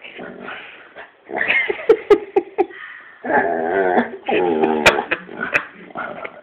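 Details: A pet dog indoors making strange noises: harmonic whines and yelping whimpers in bursts, some rising and falling, with short sharp clicks and knocks between them in a small room.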